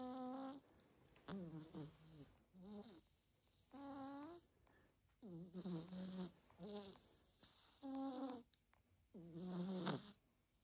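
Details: Ponyo, a cat, snoring while asleep indoors: nasal, buzzy, faintly whistling breaths, each with a slight falling tone, repeated about every two seconds with quiet pauses between.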